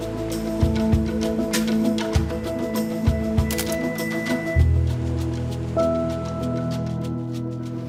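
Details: Music with steady sustained tones and repeated low percussive beats, and no animal sound heard.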